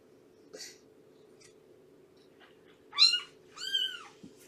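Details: Cat in a foster home tied to Purrfect Pals, where Shelby, an abandoned two-year-old mother, nurses her kittens. A faint early squeak, then two loud, high, arching mews with rich harmonics near the end, each under half a second, over a steady indoor hum.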